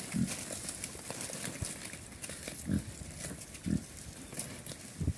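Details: Chrouk Kandorl pigs on a farm in Cambodia, eating banana leaf: short, low grunts come roughly once a second, mixed with crunching and rustling from the feeding.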